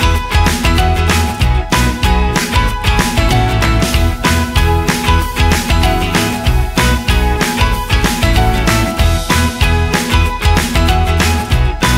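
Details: Energetic rock music with guitar and drums plays throughout, with no animal voice.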